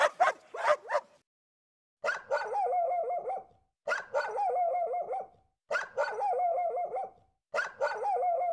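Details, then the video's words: Domestic dog giving a quick cluster of sharp barks, then a pause and several near-identical bursts of wavering, whine-like tones. The bursts repeat about every two seconds, with silence between them. "Dog Sound - Dog barking"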